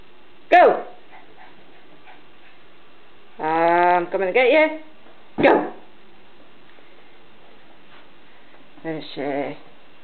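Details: Border terrier puppy having a mad turn while playing indoors, giving short sharp barks and harsher harmonic growling yaps in scattered bursts, with quiet gaps between them.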